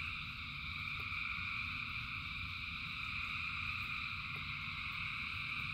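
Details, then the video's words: Rain-soaked frog chorus: thousands of voices blend into a seamless band of high, buzzing trills at even loudness, with low rushing noise beneath and a few brief clicks. "Frogs in Rain 2 Hours of Frogs, Thousands of Frogs Singing"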